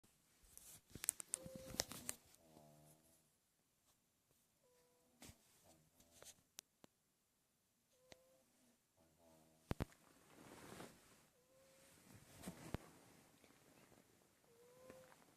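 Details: Miller, a pet cat in deep sleep indoors, snoring loudly with no underlying cause found by the vet; soft raspy snores with faint whistling tones recur every few seconds, amid scattered clicks and rustling.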